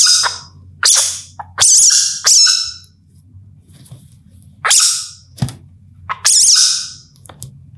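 A young civet gives harsh, hissing screeches in short bursts, with a low hum underneath.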